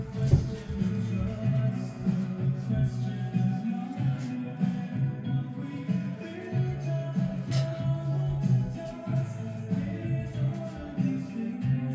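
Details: Latin-style music with a deep bass line and light percussion runs throughout, without any animal sound.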